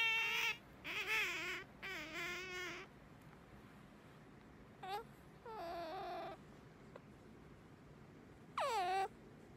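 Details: Pet otter Sakura calls to rouse its owner in the morning: three wavering, whiny squeals in quick succession, then a quiet pause, a brief chirp, a softer wavering squeal and one last sharply falling cry.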